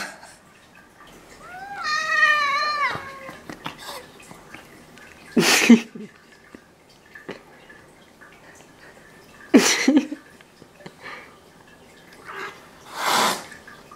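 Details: Ragdoll cat, one of eleven Ragdolls kept at home in South Korea, gives a single drawn-out, wavering meow that rises and then slides down over about a second and a half, followed by scattered thumps and clicks in a quiet indoor room.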